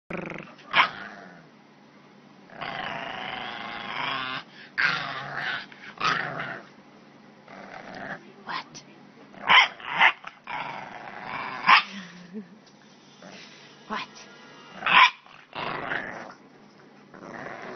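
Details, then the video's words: Grumpy bulldog puppy growling and barking in grumbling bursts with sharp yaps, vocal outbursts spread through the clip with pauses between; a person's voice breaks in briefly. "Grumpy Delightfully Bulldog Puppy"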